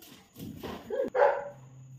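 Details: German Shepherd named Rocky during a training session, amid commands to jump and praise; a single short, sharp bark bursts out after a softer rising yelp, over quiet background.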